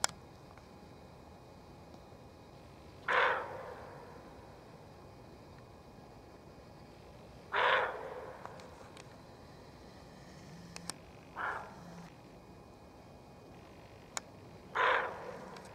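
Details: Agitated female roe deer in a forest, barking repeatedly to warn of danger: four harsh, hoarse barks spaced several seconds apart over a quiet background.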